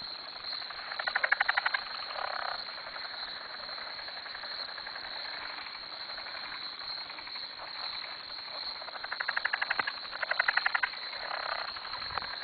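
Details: A night chorus of frogs surrounding a farm dock at 2am: two loud bursts of fast, rattling pulsed calls rise above a continuous trilling background, separated by quieter stretches of steady chorus.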